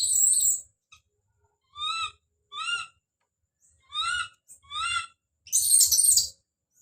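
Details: Don, a baby monkey, screaming as he calls out: a harsh burst, then clear tonal cries in pairs, each bending up then down, ending with a long, rough, noisy scream.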